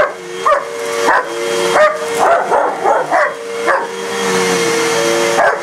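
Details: Indoors, a German shepherd and a shepherd/husky mix confront a vacuum: single loud barks every half second to a second, some clustered, separated by the cleaner's steady droning tone.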